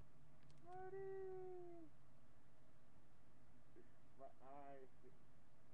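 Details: Marty, a miniature pinscher, howls into a webcam on the morning of July 8, 2011: a single clear tone of about a second that droops gently in pitch, then a short voice-like burst follows.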